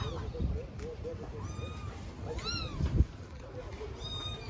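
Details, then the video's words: Hungry stray kittens on an Istanbul street meow for their mother; short chirpy mews and one louder descending meow, with a knock near the middle and constant low street rumble. "Starving kittens living on the street meow for mother cat"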